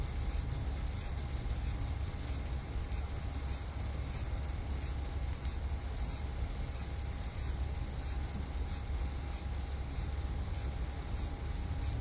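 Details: Cicada calling from a cherry tree in a front garden on an August 5 evening, 2012, hot weather; a steady high buzzing drone with rhythmic pulses repeating roughly every 0.6 seconds, over low background rumble.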